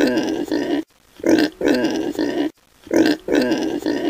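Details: Piglet grunting in short, rough bursts. Each burst is a pair of quick nasal grunts, separated by brief silent gaps, and the same pattern repeats about every second and a half.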